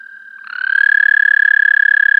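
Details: American toad, parabolic microphone recording: a soft distant trill, then a nearby toad starts a loud, rapidly pulsed musical trill that rises slightly and steadies on one tone.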